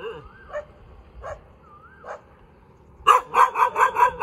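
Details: A cute dog gives a few faint, widely spaced yips, then breaks into a loud run of quick, sharp barks of about five in the final second.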